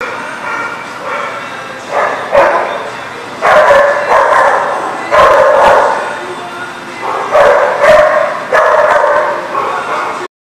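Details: Dogs barking at a lot, recorded 6/1/19: a dense run of overlapping, mid-pitched barks and yips, several per second in bursts, with a steady background hum throughout.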